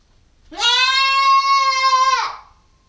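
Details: Nubian goat kid, female, nine weeks old and getting bigger, on a GoPro stakeout: one sustained, clear bleat lasting about one and a half seconds, held level with a slight quaver, then cut off, against quiet background.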